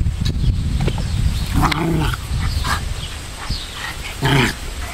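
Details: Pair of Pomeranians in a play fight, low grumbling growls with a couple of sharper snarling bursts near the middle and end, scuffling throughout.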